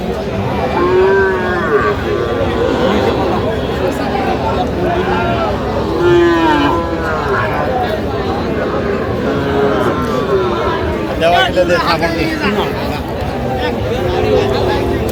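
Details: Young bulls and heifers for sale at a Feni cattle market on 15 November; several low, rounded moos rise and fall at uneven intervals over constant talking and crowd bustle as buyers bargain.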